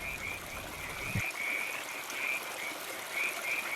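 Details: California tree frogs active at night in a riparian area of Millard Canyon, San Gabriel Mountains, Los Angeles, give short rasping croaks, repeated irregularly about once a second over a steady hiss.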